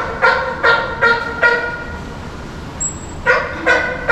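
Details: Kanata, a male California sea lion in heat at Ise Sea Paradise, Japan, calling on and on in a high-pitched voice: four harsh, honking barks about every 0.4 seconds, a short pause, then two more barks, with a faint thin tone between.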